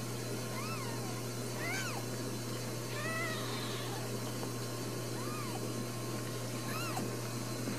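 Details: Four newborn Ragdoll kittens at a home cattery in central Kansas, raised without cages. Several thin, arched mews rise and fall, spread irregularly across the clip, above a steady background hum.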